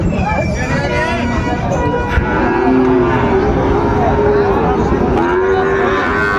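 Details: Sahiwal bull calves at the busy Ambari cattle market, where Chattogram farmers are buying. Drawn-out, low, wavering moos rise and fall in the middle and the end, over constant crowd chatter and vehicle noise.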